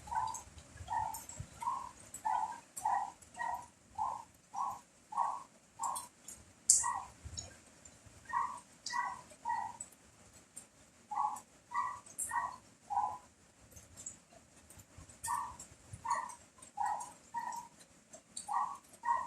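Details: Dog barking during heavy rain and strong wind: short mid-pitched barks repeated in an uneven series, roughly one to two per second, over a constant hiss of rain and gusting wind.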